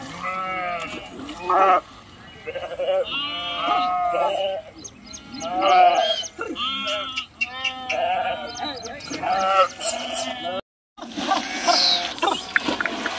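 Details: Sheep crossing a river, several bleating together: loud wavering, nasal bleats in overlapping bursts, some long and quavering, others short, with a brief gap near the end.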